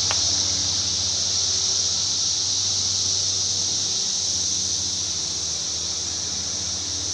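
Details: A dense, unbroken high-pitched hiss of Brood X periodical cicadas calling together heavily in woodland by farm crops in Darke County, Ohio, in mid-June 2021.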